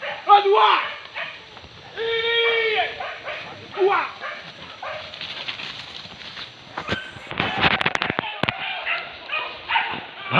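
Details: Hunting dogs on a wild boar drive in Padang Pariaman, West Sumatra, give drawn-out wavering howls and barks, alongside shouting people and rustling, crackling noise from the undergrowth.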